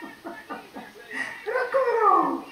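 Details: RoccoRocco, a French Bulldog indoors, responding while his uncle Luigi calls him over Skype; a run of short rising-falling yelps gives way to a longer, higher wavering whine that slides downward, with a voice in the background.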